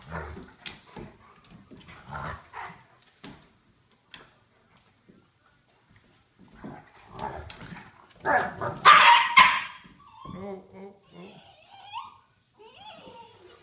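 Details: Two dogs playing, a 12-week-old 15 lb Golden Retriever puppy and a 2-year-old 80 lb DDR Shepherd/Tamaskan mix: scattered short yips and soft barks, then a loud harsh rough burst of growling barks midway, followed by quieter whiny yelps.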